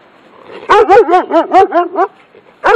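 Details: German Shepherd barking from its yard at a person walking past: a rapid burst of six or seven harsh, arching barks with rich harmonics, followed after a brief pause by one more bark.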